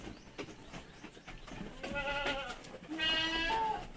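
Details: Purebred Anglo-Nubian goats around a birth, two does having given birth: two wavering, harmonic-rich bleats, a shorter one followed by a longer, louder, higher one, with faint shuffling in the background.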